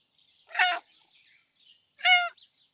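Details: A Russian Blue cat with a sweet, gentle character gives two brief, thin, high meows about a second and a half apart, the second clearer and more even in pitch, with faint background hiss between them.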